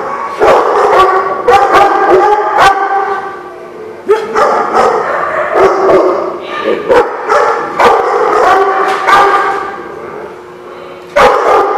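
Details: Dogs at The Barking Lot, recorded 27 May 2016: loud, sharp barks repeated rapidly and irregularly over sustained, tonal whining or yipping, with a brief quieter pause near the middle before the barking resumes.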